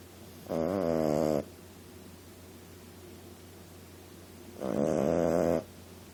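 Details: Female Boston Terrier puppy sleeping and snoring: two drawn-out, rasping, harmonic snores about four seconds apart, each lasting roughly a second, over a steady low hum.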